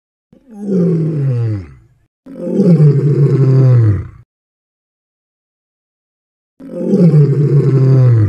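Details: A lion gives deep, rumbling roars, each about two seconds long, separated by pauses.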